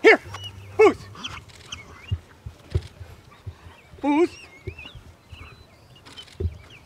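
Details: German Shepherd during obedient protection dog training; a few sharp barks with rising harmonic whines, spaced irregularly, mixed with trainer commands and outdoor background noise.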